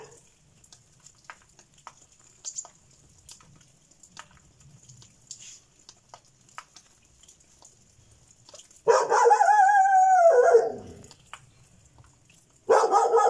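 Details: Šarplaninac dog, after quiet rustling, lets out a drawn-out, tonal cry of almost two seconds that slides down at the end, then starts another loud bark.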